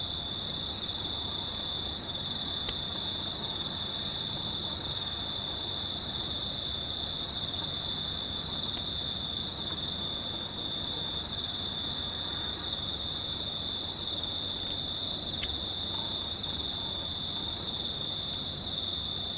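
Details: Crickets recorded on a near-full-moon night, 19 March 2019, an unbroken high-pitched trill holding steady for the whole stretch, with faint low background noise and a few soft clicks.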